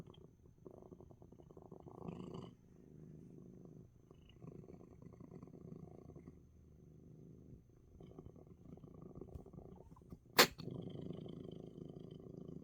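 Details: Domestic cat Coco, relaxing in spite of a sneeze, purrs in long low rumbling phrases broken by short breathing gaps, with one sharp sudden burst near the end before the purr resumes.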